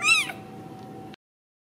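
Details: Ragdoll kitten raised in a home cattery in central Kansas giving one short, high, bright mew that rises then falls, followed by a faint steady hum and silence.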